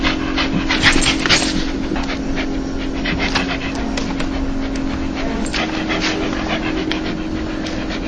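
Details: Happy, joyful dog giving a so-called laugh, a soft huffing pant of quick breathy puffs, irregular at first, then settling into a steady pulse, with a faint low hum underneath.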